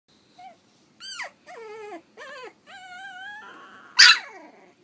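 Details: Pug/Dachshund mix puppies, three and a half weeks old, giving a run of high whimpers and squeals in short bursts, each a wavering whine that rises then falls, ending in a sharper louder yelp.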